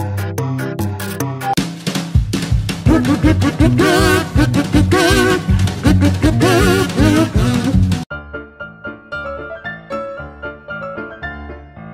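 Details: Upbeat swing-style music with a busy drum kit, bass and possibly singing, which thins to a sparser instrumental passage after about eight seconds; no animal sound is heard.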